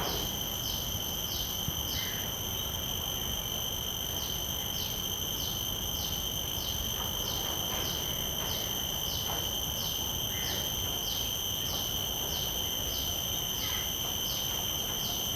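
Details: Common cicada in a field recording made with shotgun microphones into a Zoom F3 recorder. A shrill, continuous ringing carries a rhythmic pulsing buzz repeated about every 0.6 seconds, over faint background noise.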